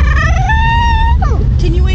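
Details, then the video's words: A Sacramento, California dog fond of McDonald's 'talks' while asked to wait for food to cool: a sustained, slowly rising tonal whine, then brief wavering yelps, with a steady engine-like hum beneath. "Cute Funny Talking Dog from Sacramento, Ca"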